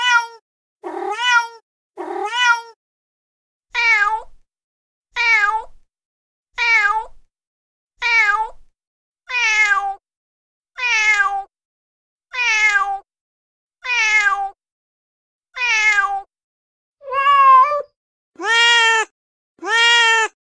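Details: Female cat in heat calling for a male during mating season: a loud, drawn-out harmonic meow repeated roughly every 1.3 seconds, about fifteen calls, the last two longer and stronger, in a quiet room.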